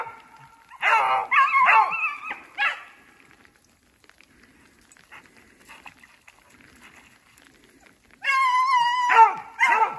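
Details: Two beagles, a brother and sister, trailing a snowshoe hare through snowy woods as sleet turns to rain. Drawn-out, ringing bays with strong overtones come in two bursts, separated by a quiet stretch.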